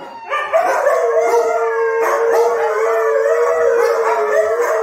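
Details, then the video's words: Four Siberian Huskies kept as pets howl together in response to police siren sounds played from a phone: long, sustained, wavering tones overlapping in a steady chorus, loud throughout. "we tried THIS with 4 HUSKIES🚨NOISE WARNING🚨"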